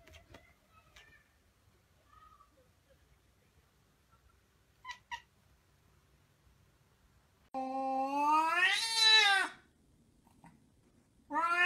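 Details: Talking pet cat: after soft faint sounds, a long loud meow rises and then falls over about two seconds, with another call starting at the end.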